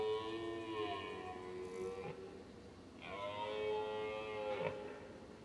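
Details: A lone red deer stag in a meadow at Weerterbos, 29 September 2011, roars during the rut with two long, drawn-out bellows. Another stag, with a herd of about 15 in the woods, roars in the distance.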